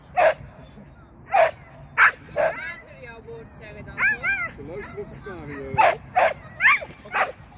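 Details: Sian, a Shetland sheepdog, at agility training with a first seesaw flyer and first tunnel run, gives sharp, high barks in bursts, separated by a person's talking voice.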